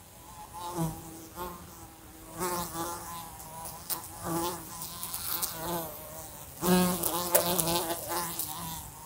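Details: A fly buzzes in a room next to a lamp: its wing drone comes in bursts, swelling and fading as it flies close and away, with short taps as it bumps into the lamp.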